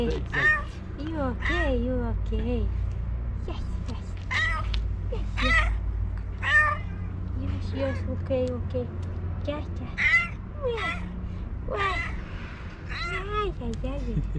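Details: Tiramisu, a female pet cat, meows eagerly while waiting for breakfast, short bending meows repeated roughly every second throughout, while a woman talks to her affectionately in the background over a low steady hum.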